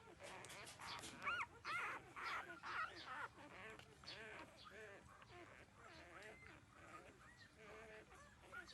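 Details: Puppies thirteen days old at their mother's teats, producing a chorus of thin squeaky whines, louder bursts early then quieter, wavering cries over a busy rustling background.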